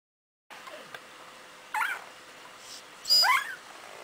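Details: Cardigan Welsh Corgi puppies of one litter, four days old, born January 25th 2011: two brief high, squeaky whimpers rising and bending in pitch, about a second and a half apart, over a steady faint background hiss.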